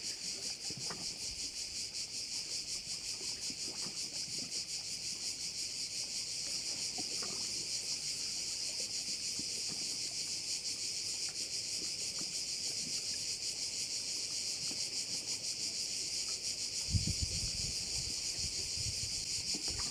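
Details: Crickets at a bay on Korčula, Croatia, making a dense, shrill, continuous buzzing chorus with fast pulsing throughout. One brief low thump comes near the end.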